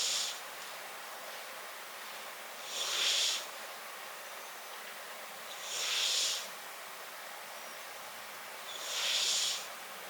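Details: Riki-chan, a brown tabby-and-white cat, snores in close-up, four steady breathy hisses spaced about three seconds apart against a quiet, low background hum.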